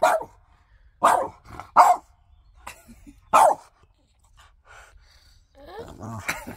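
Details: French Bulldog arguing with its owner for his shoes, letting out four short, forceful barking yelps about a second apart, followed by quiet, a soft whine and a person's voice.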